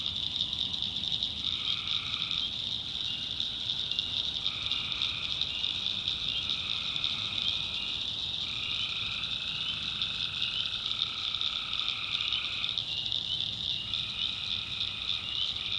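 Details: Tree frogs calling at night in a swamp in the backwoods of North Carolina: a dense, unbroken high-pitched chorus overlaid by lower, drawn-out buzzing notes of about a second each, repeating in staggered overlapping phrases.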